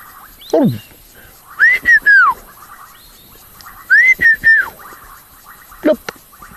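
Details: Bubbling kassinas give short, bubbly, whistle-like notes that rise and fall over a soft background frog chorus, heard on a sunset safari at Rietspruit Game Reserve in South Africa's Lowveld, 15 January 2024, in a rainy season.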